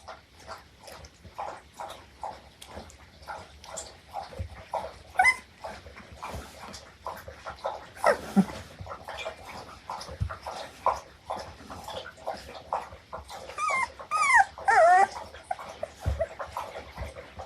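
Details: Akita puppies, three sisters (two red, one brindle), play-fighting; a dense run of short growls and grunts about twice a second, with a few higher squeaky whines and yelps near the end.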